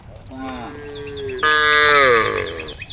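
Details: A cow from a herd roaming a road calls to the herd with one drawn-out moo that steps up in pitch midway and fades after about two seconds, while quick high bird chirps repeat overhead.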